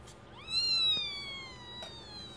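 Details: Newborn kitten from a first litter of four, born 27 September 2015 at 22.30 with the mother caring for them; one clear, high, thin mew rising quickly then slowly sliding down, lasting about two seconds.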